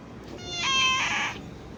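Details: Cat giving a single drawn-out meow, bright and nasal with rich harmonics, swelling in the middle and fading after about a second, in a quiet room.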